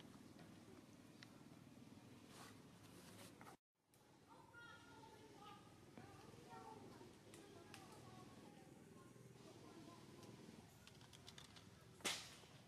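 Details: Frightened baby monkey named Rockstar crying: a run of short, harmonic, tonal wails repeated over several seconds mid-clip, with a faint room hum, scattered clicks and a sharp knock near the end.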